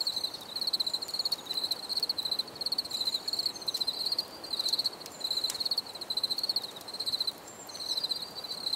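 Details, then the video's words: Cricket sound for relaxation: rapid pulsed chirps in regular bursts about every half second, high and sharp, with a faint second higher caller and light clicks. "Bruit de Grillons"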